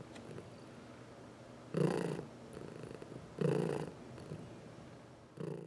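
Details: House cat receiving a massage, among four pets; low purr faint at first, then two loud rumbling bursts about a second and a half apart, followed by a third as the clip ends.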